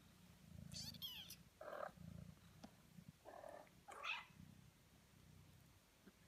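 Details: Kittens eighteen days old: several thin, high mewing cries with harmonic stacks, rising and falling, over a steady low rumbling purr pulsing underneath.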